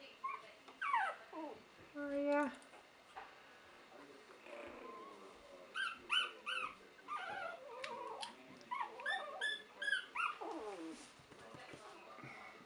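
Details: Three-week-old puppies of Buttercup, a dog, settling down to nap in a pile in 2015, giving a run of high, thin squeals and whimpers, some sliding upward, in scattered bursts over about twelve seconds, with a soft human voice nearby.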